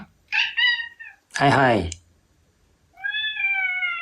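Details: Indoor Ragdoll cat angered by an owner's constant hay-fever sneezing, voicing a short two-part meow, then a longer steady meow, with a loud burst of human voice between them.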